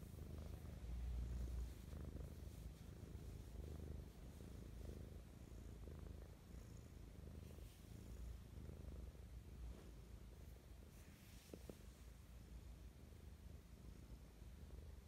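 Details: Morning purring from Mischa, an affectionate pet cat; a long, even, low-pitched rumble pulsing rapidly throughout, with faint soft rustles and one small click.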